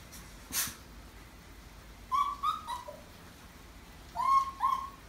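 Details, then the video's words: Maltese named Kong-i, left with someone else while its owners go out shopping, whimpers indoors: two pairs of high, thin whines with a slight rise, plus a lower short whine, separated by a pause. An earlier sharp click is heard. "콩이가 찡찡찡 거리는 이유는?"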